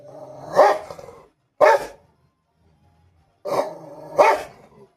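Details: Rottweiler barking during a fight: two pairs of loud, harsh, broadband barks, the pairs separated by a silent gap of about two seconds.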